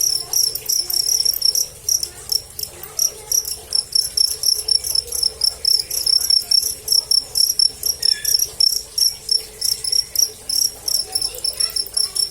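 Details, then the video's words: Cricket calling loudly and continuously, a piercing high trill broken into rapid pulsed bursts of uneven length, dominating a quiet background. "Suara Jangkrik"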